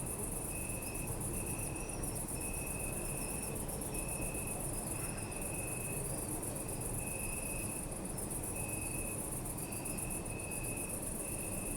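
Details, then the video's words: Crickets at night in a city park, a dense rapid high pulsing chorus with steady long trilling notes repeated in bursts, over constant low city rumble and faint higher insect or bird squeaks. "Night at City Park | Crickets"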